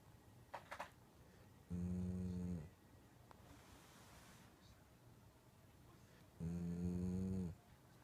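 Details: Sleeping Shiba Inu snoring: two low, buzzy, droning snores about a second long each, spaced roughly five seconds apart, with quiet breathing between them.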